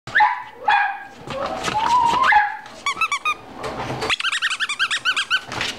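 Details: Beagle puppy, a gentle-natured male, at a pet shop in Fukushima, Japan, filmed 25 November 2017; whines and short yelps at first, then a fast run of high, repeated squeaky yips in rapid bursts.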